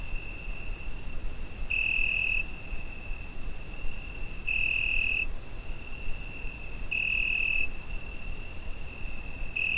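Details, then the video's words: Cricket at night in summer, recorded with a Zoom H5: a sustained high-pitched ringing drone broken by four louder chirp swells spaced about two and a half to three seconds apart, over soft ambient hiss. "Summer Night Cricket Sound Effect"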